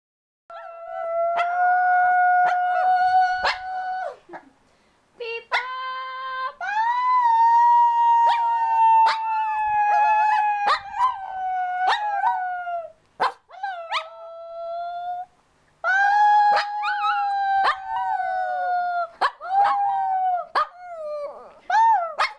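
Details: A young Shih Tzu pup being taught to howl howls in long, wavering, mid-pitched tones that rise and sag between short breaths.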